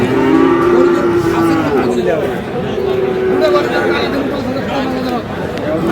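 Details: Friesian and cross-breed bull calves at Aftabganj market, Dinajpur, Bangladesh; low, wavering moos run through most of the stretch beneath busy crowd noise and bargaining voices.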